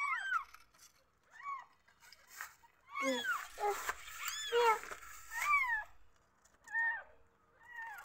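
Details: Newborn kittens meowing from insecurity, several voices: short, high, bending mews come in clusters, some overlapping, with faint rustling and a low background murmur between calls.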